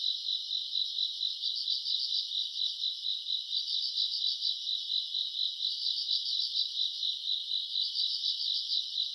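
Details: Grass insects on a summer night, recorded in August: a dense, high, shimmering chorus of steady trilling with pulsing swells roughly every two seconds, plus a faint higher buzz above, with no other sounds.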